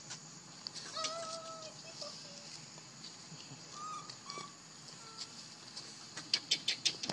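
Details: Baby monkey named Leo crying and begging its mother for milk after she rejects him; short, clear whistled cries sliding slightly, a few spaced across several seconds, with sharp clicking and rustling near the end.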